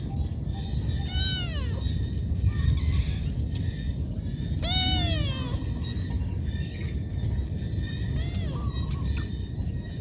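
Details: Cat calling its mother because it needs food, giving three clear, loud meows spaced about three to four seconds apart, each rising then falling in a smooth arch, against constant low-pitched background rumble.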